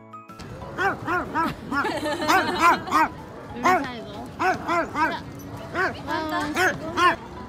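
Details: Seven-year-old Toy Poodle barking fiercely at people out of fear: a rapid run of sharp, high yapping barks, arched and harmonic-rich, repeated in quick bursts several times a second, with background music playing underneath.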